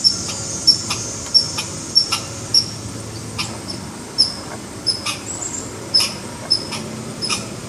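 A red squirrel gives sharp, high chipping alarm notes, repeated in an uneven series.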